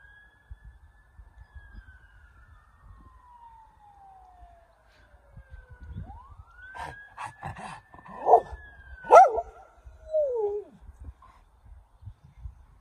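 A Norwegian Elkhound lets out wavering, drawn-out howls alongside a wailing police siren.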